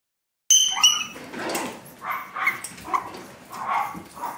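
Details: Chihuahua puppies: after a moment of silence, two thin, high whistled squeals, then a run of short, rough yelping bursts at uneven intervals.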